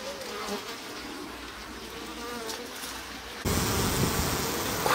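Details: Japanese honey bees in a stacked-box hive in spring, growing more active, as the sliding bottom board is opened: a wavering, humming buzz with shifting tones, then a sudden loud rustling roar of handling noise after about three and a half seconds.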